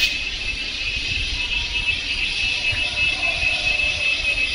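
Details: Cicadas in India, recorded around Kodaikanal and Thekkady in 2014: a steady, dense high-pitched buzzing drone holding without a break, with a faint low rumble underneath.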